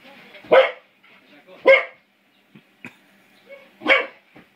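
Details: English Springer Spaniel puppy aged five months, playing with a door spring: three sharp, rough barks about one to two seconds apart, separated by faint clicks and brief soft sounds in a quiet room.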